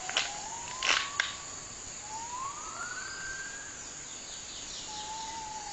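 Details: Gibbon (Hylobates) howling in rainforest in Kedah and Perlis, northern Malaysia: long, clear whistled notes sliding upward, one rising then leveling off, a later tone held steady, over soft forest hiss with a few brief knocks early on.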